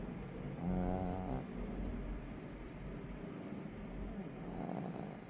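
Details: Napping puppy snoring softly: a low, rough, droning snore with a brief harmonic, nasal-sounding rise near the start and another softer swell near the end, over a quiet, breathy low rumble.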